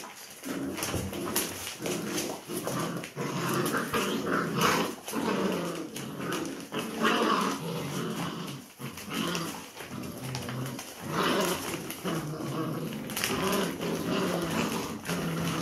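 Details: Several Labrador Retriever puppies in a group fight and tug-of-war over new enrichment indoors; continuous rough growling and grumbling with frequent sharp clicks and scuffles, swelling and fading in bouts every few seconds.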